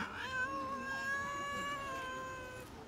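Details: A rescued stray kitten, sick and skinny when found, gives a single long, drawn-out meow lasting nearly three seconds. It is rich, nasal and wailing, holding a steady pitch before fading slightly at the end, with no other clear sounds.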